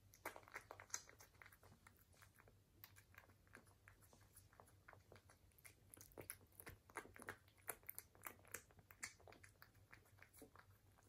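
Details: British Shorthair cat chewing food, dense bursts of crackling crunches that thicken toward the middle and ease off at the end, over a low continuous hum.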